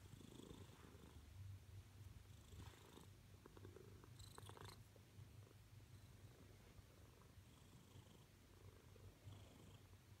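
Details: A female Siamese cat wanting attention purrs loudly indoors: a steady, deep, rumbling vibration running unbroken throughout, with faint soft rustling on top.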